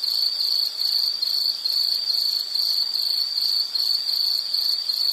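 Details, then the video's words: A relaxing nature recording of insect song: shrill, rapidly pulsed chirps repeated about two to three times per second in a continuous, even rhythm, with no other clear sounds. "Sound · Nature Sound of nature sounds scenery L · insect"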